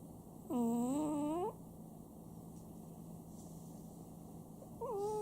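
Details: Pet Chihuahua Sam snores at home. One whistling, nasal snore rises in pitch and lasts about a second, then a quiet pause of about three seconds, then the next snore begins, over a faint constant hum.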